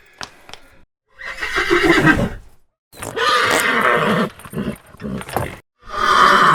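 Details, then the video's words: Horse giving a series of short neighs broken by pauses, the calls harsh and wavering, with scattered clicks and knocks in between. "Real Horse Sounds Whines, Snorts and Gallops"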